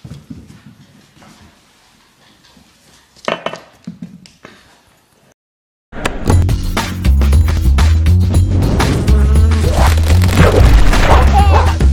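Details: Soft knocks and rustling fill the first few seconds. Loud rhythmic music with a heavy bass beat then takes over, and no animal voice can be picked out.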